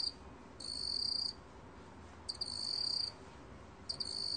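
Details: Black cricket song from a 2020 recording: three high, shrill trilled bursts, each lasting under a second and starting with a couple of clicks, spaced roughly one and a half seconds apart. The background is otherwise calm.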